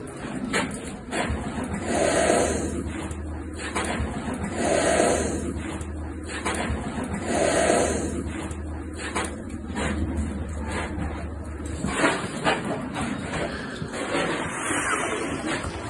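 A caracal gives sharp, breathy hisses, repeated every few seconds over a low indoor hum.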